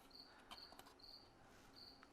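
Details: A single cricket, indoors in a craft studio and described as happy, gives high, pure, pulsed chirps in bursts of about half a second, separated by short pauses, over soft clicks and rustles from someone working nearby.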